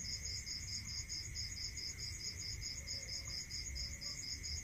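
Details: Crickets at night in a rural area, a fast train of even high chirps pulsing about four per second over a steady high ringing tone and a constant lower hum, with a faint low rumble beneath.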